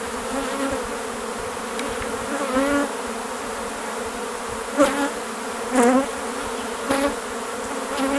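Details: A dense swarm of thousands of honey bees hums steadily, with a low droning buzz and occasional louder rising pulses.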